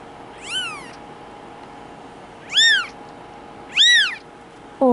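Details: Two-week-old male Bengal kitten, Boy2, in Madison, Wisconsin, giving three thin, high, arching mews about one to one and a half seconds apart, each rising then falling, over a quiet room with a faint steady hum.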